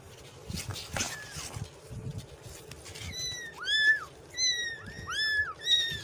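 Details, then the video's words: Several kittens mewing after a noisy start with knocks and rustling; high arched cries crowd the second half, overlapping in rapid succession. "Funny Cat And Kitten Sound Effect | Kitten Meowing Compilation"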